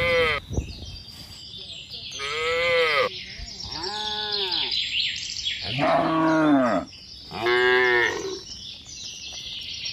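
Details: Tame cattle and calves hurrying back to the barn during the rainy season: a series of higher, arching moos, several in quick succession, with hissing background noise throughout.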